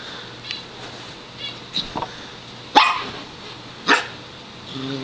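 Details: Five-month-old Sheltie named Rosie reacting to a small wiener dog walking past the front window, giving a few scattered sharp barks, two loud ones close together, in a quiet room with faint background hum.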